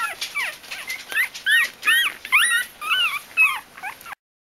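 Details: Litter of Bichon Frisé puppies at a kennel, crying together; overlapping high, bent whimpers and squeaky yelps repeat rapidly, about two per second, before stopping abruptly.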